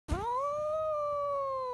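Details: A cat giving a single long meow that rises at the start and then holds steady, trailing off slightly at the end, in a quiet setting.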